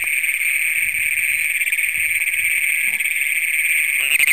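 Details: Great Plains toads calling at night on June 27, 2010, in Brown County, Minnesota, the first documented there, filmed with a Canon PowerShot SX100 camera. A steady, unbroken high metallic trill runs through the whole stretch without pause.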